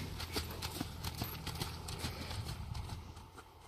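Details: Hooves of Sierd, an imported Friesian horse, ring out in a brisk clip-clop, roughly two to three strikes each second in a loose rhythm, against a constant low background hum.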